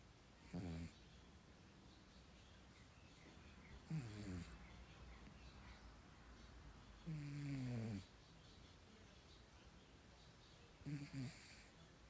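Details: Kermit, a pet cat, snoring while asleep: four low, rumbling snores spaced about three to four seconds apart, each a falling, buzzy tone with breathy hiss, quiet room hum in between.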